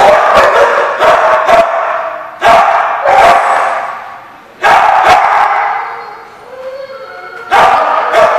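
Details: Recorded on 15 June 2015, dogs bark in loud bursts of several rapid barks, separated by short lulls where the sound rings and fades before the next burst.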